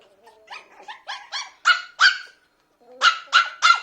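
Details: Biewer Terrier puppy, a toy breed, yaps in a quick series of high, sharp barks, several softer then louder, with a short pause before three more loud yaps, about three per second.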